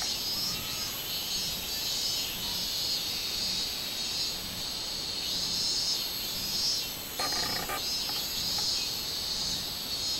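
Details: Robust cicada singing, 24 July 2016: an unbroken, sharp high-pitched buzz that pulses gently, interrupted late by a short burst of lower crackling sound.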